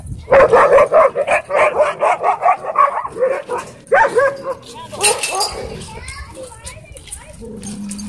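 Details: Dogs playing together at a dog park, a rapid series of rhythmic barks, about two per second for four seconds, then mixed yips and excited vocal sounds with people talking in the background.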